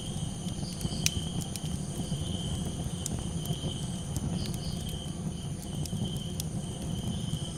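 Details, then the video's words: A night chorus of crickets holds one continuous high-pitched trill, with brief higher chirps here and there. A crackling campfire dominates underneath with deep roaring and sudden snaps. "Cricket Calls"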